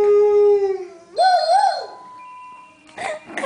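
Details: A pet dog howls at a voicemail, one long steady note that jumps higher and wavers before fading.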